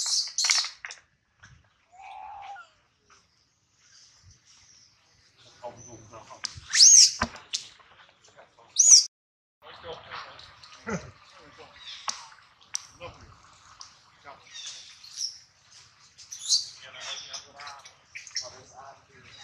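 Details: Baby monkey Adler, held in the hands of a small monkey, crying because he misses his mother and is hungry; two loud, sharp, high-pitched arching shrieks stand out, with softer squeaks, chirps and rustling scattered between them.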